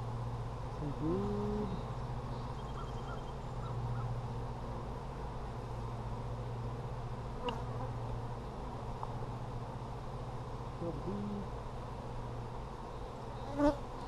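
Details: Honey bees in an Apimaye hive during a July 23, 2020 hive inspection, with lots of brood found: a steady, low buzzing hum throughout, crossed by a few short honking bird calls and sharp handling knocks near the end.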